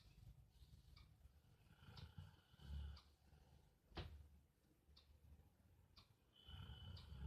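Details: Rottweiler snoring with deep, grating rumbles rising and falling with each breath, one strong swell near the start and another at the end. A steady ticking sounds roughly every second.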